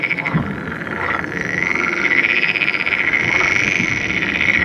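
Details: Edible frog calling in the Netherlands, where this fertile hybrid is common: a continuous, fast rattling croak that swells slightly in loudness, with other frogs chorusing behind it.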